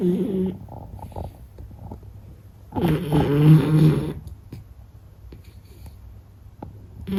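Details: Meta the Beagle, a pet dog, snoring while asleep: low, throaty, rumbling snores rising and falling in long drawn breaths, one short snore at the start and a louder, longer one near the middle, in a quiet room.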